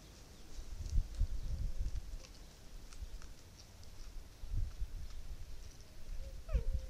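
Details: Fallow deer in autumn rut, caught by a trail camera in a Sierra Morena dehesa on 1 October 2023. Deep guttural groans come in short low bursts around seconds one to two, four and a half, and six and a half, with faint thin bird whistles.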